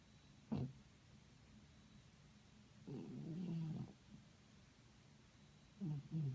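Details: Domestic cat snoring: three separate low, rough, droning breaths at uneven intervals, the middle one longest, close to a second. A quiet steady background hiss runs between them.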